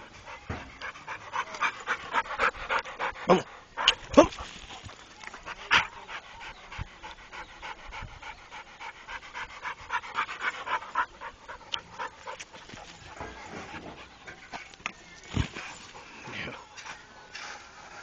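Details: Panting from a trained Pit Bull: rough, breathy exhalations in uneven runs, loudest early on, some sharp knocks and a little human talk in the background.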